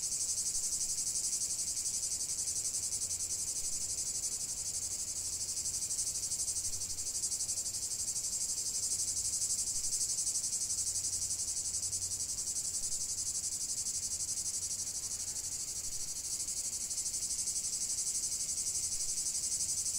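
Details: Chorus of cicadas singing in nature, a continuous dense high buzzing that holds steady for the whole stretch, with faint low rumbles pulsing underneath.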